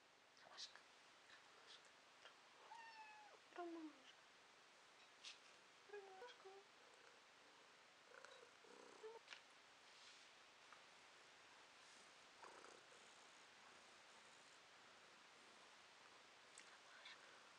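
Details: A female domestic cat, recorded in May 2022, gives a few soft, short meows, quiet and spaced several seconds apart.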